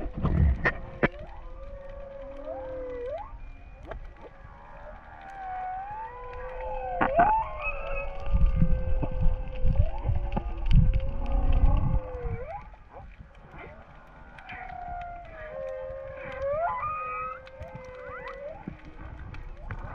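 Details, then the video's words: Underwater whale calls off Hawaii during a freedive: repeated wavering tonal moans that rise and fall, some upsweeping squeals, over deep low-frequency rumble of water and distant noise. "Sound on to listen to the whales"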